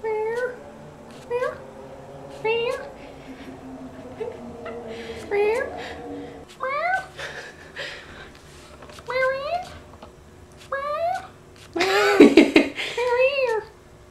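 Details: Domestic cat meowing indoors: a series of clear, arching meows roughly every second or two, some rising then falling, with a louder, harsher drawn-out cry near the end; a person talks and calls the cat, and brief music plays.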